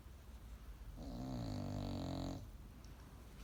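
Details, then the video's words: Bulldog puppy asleep and snoring, a single drawn-out, low, buzzing rattle of about one and a half seconds rising out of quiet room noise, then fading back to near silence. "Baby Chloe snoring #bulldog"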